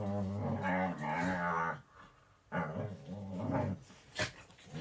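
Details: Domestic dog producing bovine-sounding noises: a long, low, harmonic groan lasting nearly two seconds, followed after a pause by shorter wavering moans and a brief sharp sound near the end.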